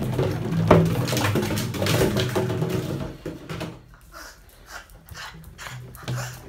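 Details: Lola, a Boston terrier, at play with a water jug indoors: low, harmonic growling vocalizations fill the first three seconds, followed by a quieter stretch of scattered knocks and rustles from the play.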